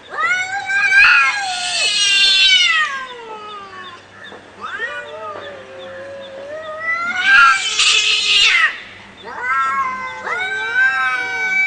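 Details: Cats in a real fight: loud, harmonic-rich yowls that glide downward, broken by harsh screeching spits near two and eight seconds, then renewed rising wails.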